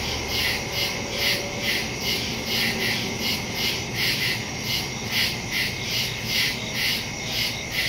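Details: Woodland crickets at night, recorded September 2 on a phone fitted with a stereo microphone; many callers make a shrill chorus of quick pulses, about two per second, with a low steady drone beneath.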